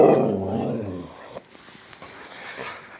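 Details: Siberian Husky talking, upset that its owner is leaving for work: a loud, drawn-out, moaning howl for about a second that fades, followed by near silence.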